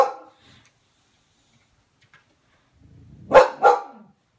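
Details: Pixie, a Boxer dog scared of a balloon indoors, gives two loud, sharp barks in quick succession near the end after a quiet stretch.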